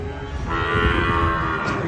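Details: Cattle being unloaded from a truck, one of them angry; a steady, drawn-out low moo held for about two seconds, with music playing underneath.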